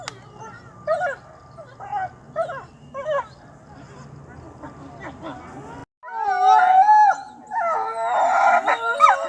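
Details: Wolf calls: about six seconds of faint, scattered short yips and barks over a low rumble, then a sudden cut to a loud chorus of overlapping, wavering howls with bright harmonic tones.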